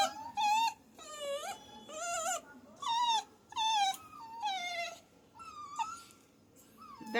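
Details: Puppy whimpering in repeated wavering cries, roughly one per second, each note a warbling, harmonic-rich whine that dips and rises, fading to softer whines toward the end.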